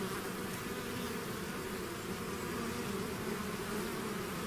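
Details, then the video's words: Continuous droning buzz of a bee swarm leaving its hive, many wings blending into a wide, slightly wavering hum with constant loudness. "bees therapy swarm natural buzzing sound"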